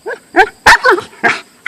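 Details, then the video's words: Siberian husky, described as a wolf-husky, vocalizing at a golf club it hates: short yelping, talkative bursts in quick succession, about five in under two seconds, with clear voiced harmonics. "A wolf/Siberian husky hates golf clubs"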